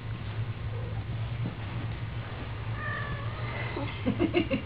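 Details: Kitten meowing: a few thin, drawn-out mews in the second half, followed by a quick burst of short, higher mews at the end, over a steady low hum.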